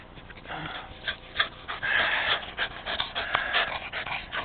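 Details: Rat Terrier rescue Jack breathing heavily mid-fetch, short breathy pants running together with a few sharper louder exhalations.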